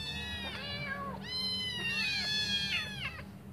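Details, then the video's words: Hungry litter of five kittens meowing as they wait for their mother to feed them; a few long, drawn-out piercing meows that slide downward at the ends, several kittens overlapping, low hum behind. "Five hungry kittens meowing waiting for their mum to come back to feed them"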